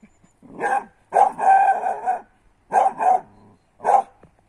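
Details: A 10-month-old female griffon puppy, trained on roe deer and wild boar blood trails, gives loud, harsh barks in short bursts, some drawn out into a moaning bay, while recovering a wild sow after tracking a blood trail.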